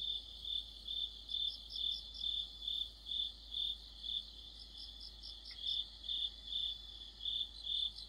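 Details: Autumn insect orchestra led by crickets: steady pulsed chirping repeated roughly twice per second, overlaid by brief higher trills, and one faint short click midway.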